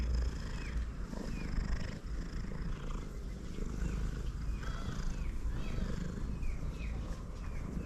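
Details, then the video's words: Male cat purrs loudly while eating, a steady deep rumble filling the low range throughout, with faint, brief, rising chirps in the background. "Male cat that purrs loudly even while eating"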